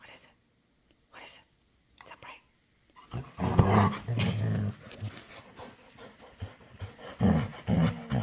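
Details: A playful female dog begging to play makes weird noises: after a quiet start, a run of low, throaty, groaning growl-whines rises and falls, with a person talking in between.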